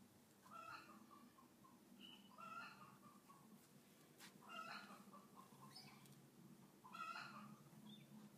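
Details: Pet cat living among dogs gives four short, quiet, harmonic meows, spaced roughly two seconds apart, over a steady low background hum.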